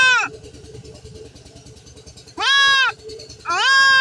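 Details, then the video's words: Bleats of a goat undergoing castration: a short cry cut off at the start, then a long quavering nasal bleat and another beginning, with a low rumbling, shuffling background in the pauses. "ছাগল খাসি করানো"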